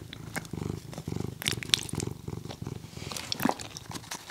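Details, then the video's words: Domestic cat purring while eating: low, rough pulsed rumble in rhythmic bursts of about half a second, with wet chewing clicks and crunches scattered over it, recorded close up indoors. "Cat Eating ASMR"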